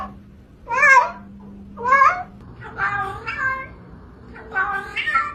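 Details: Talkative kittens meowing nonstop: four or five short, bright mews roughly a second apart, each a quick rising-falling cry, with a faint steady hum underneath.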